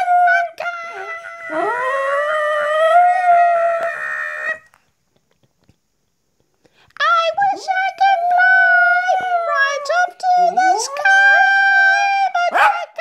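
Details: Two dogs howling along to a song, drawn-out tonal wails that slide upward and hold steady, broken by a short silence midway before the long howls resume with rising swoops.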